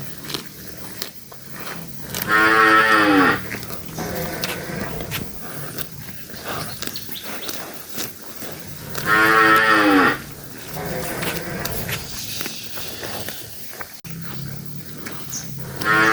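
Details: Cattle being released from a pen by livestock keepers: two long, loud, rich moos about seven seconds apart, each falling slightly at the end, between steady shuffling, knocking and rustling.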